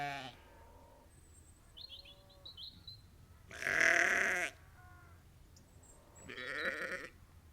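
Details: About 30 to 50 ewes and lambs on a sheep farm bleat back and forth, with two loud, hoarse, wavering bleats standing out.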